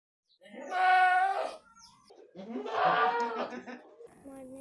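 Two drawn-out, nasal goat bleats, the second one wavering and shaky.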